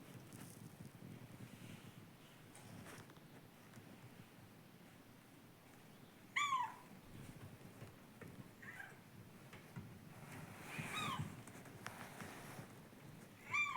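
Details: Seven-year-old female domestic cat whining with a 'kyuun' cry: several short, tonal, slightly bending calls spaced a couple of seconds apart, the last cut off at the end, over a quiet indoor background.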